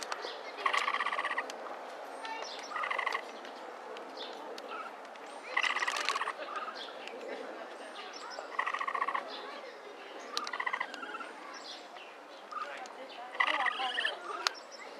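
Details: At Inokashira Park Zoo on 19 February 2012, a capybara repeats short purring 'kyuru kyuru' bursts of rapid pulses roughly every two to three seconds, about six bursts in all, over low background noise.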